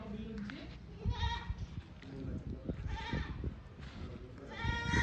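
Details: Farm goats giving short wavering bleats near one, three and five seconds, each a quivering nasal tone, over low rumbling background noise and some human voices.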